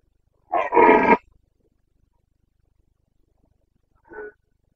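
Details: Red deer stag of the Carpathians in Bucovina's mountain forests, breeding season, 29 September 2022. A powerful, rough, guttural roar of about half a second, followed a few seconds later by a brief, quieter grunting roar.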